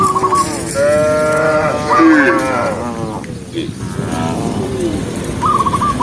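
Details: Daytime countryside herd of tens of thousands of tame cows on the move; a few long, sliding moos blend into a steady rumble of hooves and bodies, with short chirping bursts at the start and end.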